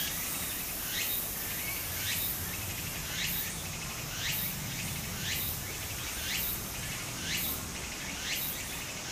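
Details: Summer cicada song near a flowing stream in Japan, with bright rising chirps recurring roughly every second in a steady rhythm above a soft, continuous murmur of water.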